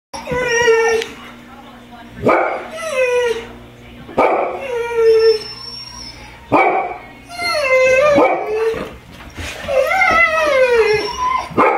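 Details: Pet dogs, among them Trigger the Golden Retriever and Spencer the Irish Setter, howl together like coyotes while Simba barks. Wavering, drawn-out howls with rich overtones alternate with short, sharp bark bursts about every two seconds.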